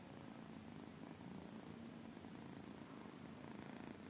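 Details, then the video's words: Tiny kittens purring: a steady, low, continuous rumbling purr throughout, even and unbroken, recorded close up and quiet. "tiny kittens purring"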